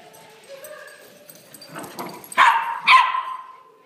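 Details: Playful puppies yipping: a quiet start, then two sharp, bright yips close together near the end, the second trailing off into a falling whine.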